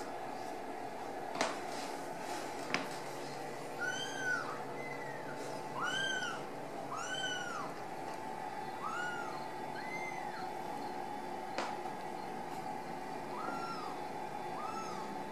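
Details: Ragdoll kittens from a central Kansas cattery, born and nurtured indoors without cages, let out short, high arched mews, about nine spread across the clip, some in close pairs, over a low humming room background and faint taps.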